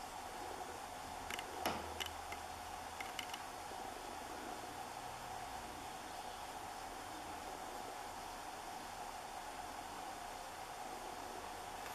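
A steady mechanical hum with a few brief clicks near the start, and no animal voice.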